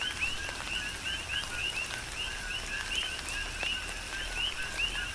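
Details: Coqui frogs in a Hawaiian Big Island rain shower, a busy ongoing chorus of short high two-note calls sweeping upward, many callers overlapping, under constant soft rain and scattered drop impacts.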